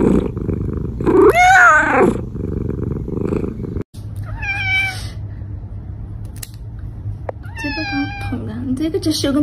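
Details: Pet cat meowing three times at intervals of about three seconds, each call a drawn-out wavering cry, over a continuous low rumble.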